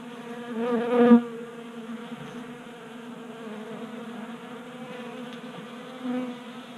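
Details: Honey bees feeding at a 3D printed tabletop feeder in a garage in Colorado during a warm January spell: a low steady hum with layered harmonics, swelling briefly near the first second and again toward the end.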